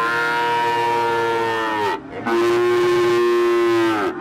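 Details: Limousin crossed with Peranakan Ongole (Pegon) cattle, with a calf of the cross named, recorded 18 May 2018 during Ramadan; two long, steady, tonal moos, the first higher and ending in a downward slide, the second lower, separated by a short gap.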